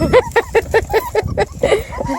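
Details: Beagle puppies five weeks old, noisy and lively after eating, yelp in short sharp barks repeated about every fifth of a second, then a looser cluster of squeaky cries; a woman's voice murmurs nearby.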